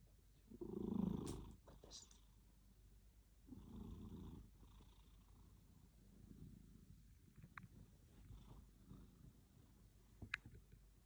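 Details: A sleeping house cat snores in low, grainy breaths. The first is loudest, the next comes about three seconds later, then fainter ones follow. A few sharp clicks and light rustles are heard near the end.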